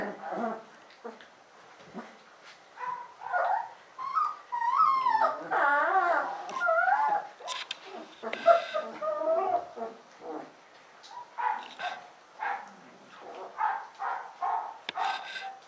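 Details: A litter of Alaskan Malamute puppies whine and squeal in high, wavering, overlapping cries.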